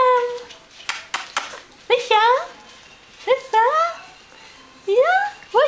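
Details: Five-week-and-two-day-old Bichon Frisé puppies from a litter of five give a series of short rising yelps and whines, four or five bursts spread across several seconds, with clicks and knocks between them.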